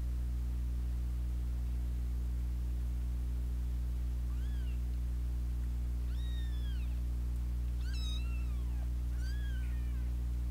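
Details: Kittens fighting, two young siblings that have battled since their second day, with an older sister cat joining in; four thin, high, harmonic meows that arch and then slide downward, spaced over about five seconds, above a steady low electrical hum.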